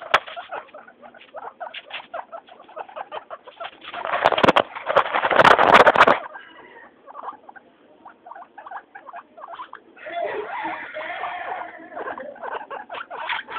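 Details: Noisy, happy pet guinea pigs Mayumi, Archie and Miyuki at floor time; rapid squeaky calls repeated over three times a second, interrupted by a loud rustling clatter, then a denser squealing chorus near the end.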